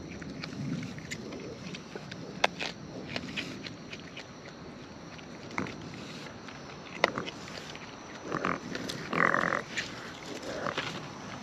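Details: Wild raccoons eating up close, with soft crunching and scattered sharp clicks of chewing, a few low grunting bursts near the start and a louder rasping burst around nine seconds.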